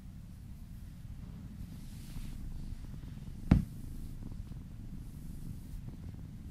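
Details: Kitten purring during a massage, indoors: a low, steady rumbling purr with a single sharp click or knock midway through.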